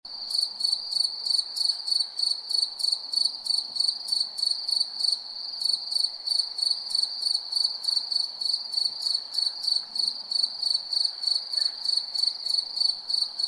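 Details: At night, a cricket chirps steadily, a high, pure trill pulsing about three times a second.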